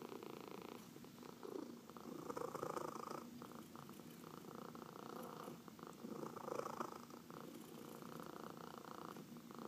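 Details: Domestic cat purrs under a massage indoors, a continuous low vibrating rumble that rises and falls with each breath cycle. Soft rubbing and rustling noises come and go.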